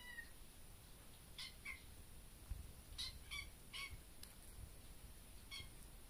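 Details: Young kitten indoors in a bedroom, meowing possibly at a bug in the room; several short high meows with harmonic stacks, spaced irregularly about a second apart, over low room rumble.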